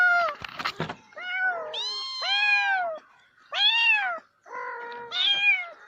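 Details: Cat producing a rapid series of plaintive meows, some arched and drawn out, a few shorter and lower, after a brief rustling clatter at the start.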